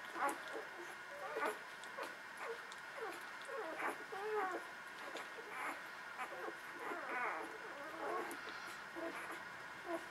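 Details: Nursing newborn puppies of the Beretta and Jericho litter give a busy run of thin, wavering squeals and whimpers, several overlapping, rising and falling in pitch, over a constant low hum.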